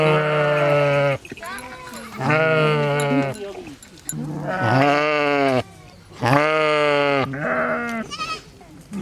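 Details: Sheep bleating in four loud, drawn-out calls of about a second each, with steady low pitch and rich harmonics, separated by short quiet gaps, plus a brief higher bleat at the end.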